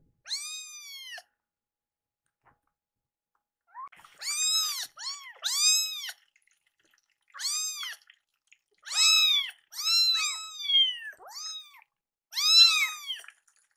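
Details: Two hungry rescued kittens indoors, angry while waiting for milk and weaning food after a feeding delay; high, arched meows with rich harmonics, in bursts of about a second, some overlapping, with short silent gaps between.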